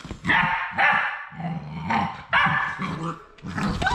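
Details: Labrador Retriever puppies, the final three of a litter, on their last day at High Desert Labradors: loud, rough yaps alternate with a low, rumbling growl underneath, in an uneven back-and-forth rhythm.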